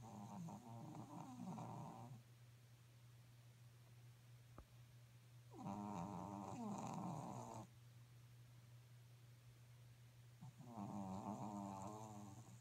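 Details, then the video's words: Pekingese dog snoring while asleep indoors: long rasping, harmonic-rich snores about two seconds each, separated by quiet pauses of roughly three seconds, with a steady low electrical hum underneath. "Pekingese snores （ペキニーズのいびき）"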